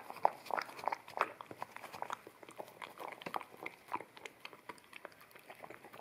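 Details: Indoors, an Akita puppy eats wet kibble from a bamboo plate, recorded on a ZS100 camera in stereo; a quick run of louder crunching bites opens, then softer steady wet chewing and licking clicks continue.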